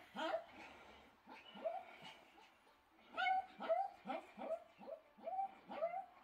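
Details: Two-week-old Pomeranian puppies with eyes newly open, calling in a series of high, squeaky, rising-then-falling whimpers and yelps, repeated roughly twice a second in uneven bursts, with soft speech nearby.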